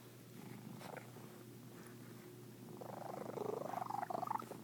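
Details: A cat's peculiar purr starts as a quiet low rumble and then turns into a louder, rapidly pulsing, rising trill-like sound over the last couple of seconds.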